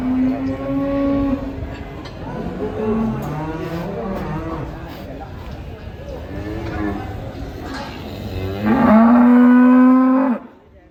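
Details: Cow making an odd, elephant-like crying sound: a series of wavering, overlapping moos that rise and fall, ending with a loud, sharply rising bellow held steady for about two seconds before cutting off.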